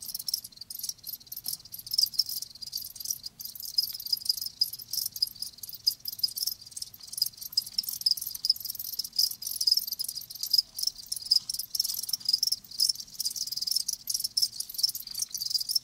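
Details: Many live crickets keep up a steady, shrill chirping chorus of quick pulsing trills, unbroken throughout, with nothing else audible.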